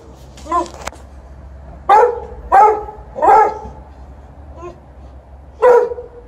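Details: Pet Alaskan Malamute seeking petting as mum returns home, sharing the moment with a Golden Retriever; a soft yelp, then four loud, clipped barks spaced irregularly about a second apart in a quiet room.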